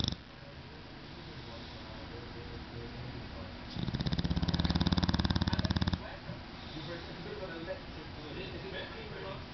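An English Bulldog snores with a loud, fast, rattling rumble that swells for a couple of seconds.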